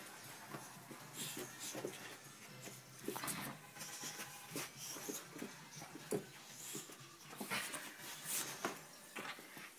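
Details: Buddy, a five-month-old Dogue de Bordeaux puppy, playing indoors in a small room: scattered short whimpers, snuffles and panting bursts among thumps and rustling, with faint speech in the background.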